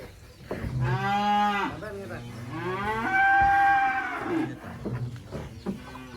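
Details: Black Qurban sacrificial cattle from an inland farm being unloaded from a truck in Indonesia; two loud, drawn-out harmonic moos, the second longer and rising slightly, with background music and low rumbling noise.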